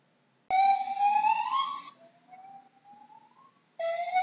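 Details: A gibbon gives a loud clear note that climbs steadily upward, then a quieter thin glide rises, before another strong whoop breaks in at the end.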